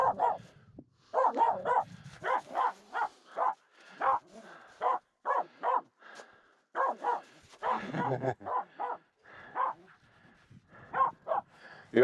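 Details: Barking without pause, Aamu, a female Finnish Spitz, objects to two reindeer walking close during a snow crossing on the way up Mulen; steady run of sharp barks about every half second, occasional paired barks.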